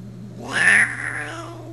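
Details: Brat, a 20-year-old cat, angry after another cat, Sierra, tried to get past her: a short indoor yowl that swells and rises into a loud, strained peak, then trails off in a lower moan over a steady electrical hum.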